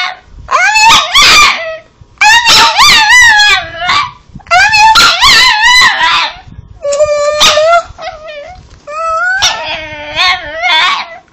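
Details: Talking pet Chihuahua, Cosmo Kramer, producing an "I love you" in a series of five or six howling, whining bursts roughly every two seconds, each sliding up and down in pitch, with soft human speech in the gaps.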